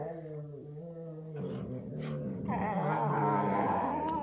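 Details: Two Labradors playing together: low, rumbling growls that give way to higher whining, yipping play noises, several sounds per second.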